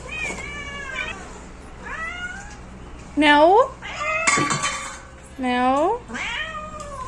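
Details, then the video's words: Domestic cat meowing repeatedly, about six loud harmonic meows that rise sharply then fall, some long and drawn out, with a brief clatter near the middle and low background hum. "cute funny cat/ Inki Pyari meow meow"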